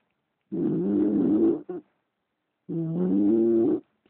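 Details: English Bulldog Leeloo snoring while asleep: two rough, droning breaths of about one second each, separated by a short pause, with a low buzzing tone and a brief catch at the end of the first breath.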